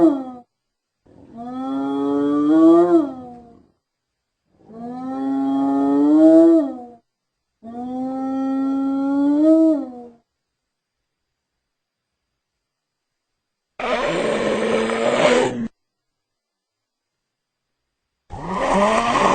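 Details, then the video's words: Spotted hyena calls: three long, rising, wavering tonal cries spaced about three seconds apart, then separate loud bursts of rough, noisy sound. "Spotted Hyena Sound Effects"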